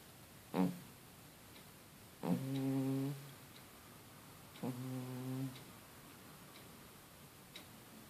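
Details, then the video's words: Sleeping cat named Felix snoring indoors: three buzzy, harmonic-rich breaths, a short one, then two longer drawn-out ones about two seconds apart, with a clock ticking softly in the quiet room. "Cat Kater the Felix snores while sleeping"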